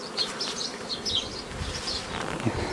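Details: Honey bees humming dense and steady while nucleus colonies are formed the old way from a previously formed forager swarm, 15 May 2018; brief high chirps and a few handling knocks in the background.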